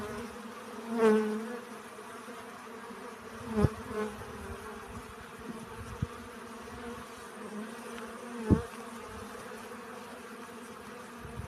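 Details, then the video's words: Honey bees collecting pollen: a steady, low droning hum with layered overtones runs throughout, and one bee swells loudly past at about one second before fading. A couple of soft knocks follow later. "Relaxing Bee Sounds. Сбор пыльцы."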